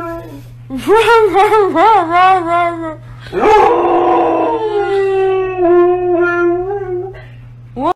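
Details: Siberian Husky talking: a run of quick up-and-down warbled yowls, then a harsh rising outburst easing into a long, steady, gently pulsing moan, with a low hum underneath.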